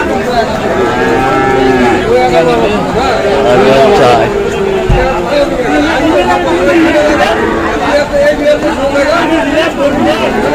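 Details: Sahiwal bull at a cattle market in Manikganj, Bangladesh, on the second day of Eid, in rain; drawn-out lowing moos with rising and falling tone amid loud crowd chatter and men bargaining over price.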